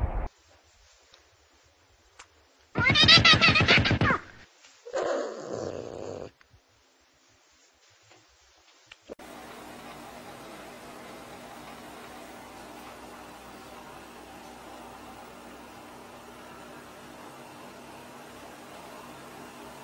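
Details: Pet cat in a crazy-cats compilation giving a harsh, loud yowl lasting over a second, then a shorter rasping cry a second later, surrounded by near silence and then a steady hiss of background noise.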